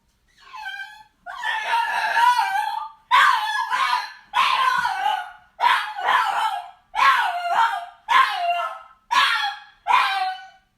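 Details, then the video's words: Frustrated dog howling and crying indoors: long, strained, wavering whines in a mid-range pitch, broken into about nine drawn-out bursts of one to two seconds each, separated by short breaths, with no other sounds. "Frustrated Dog Howling, Crying And Barking"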